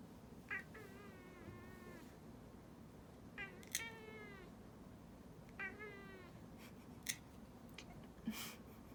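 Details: Indoor cat objecting to a claw trim: three descending, slightly whiny meows about two and a half seconds apart, each near a sharp click, over a low room hum.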